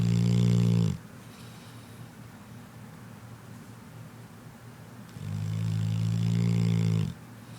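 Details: Sleeping dog snoring: two long, low, rumbling snores, each lasting about a second or two, separated by a quiet pause of around four seconds.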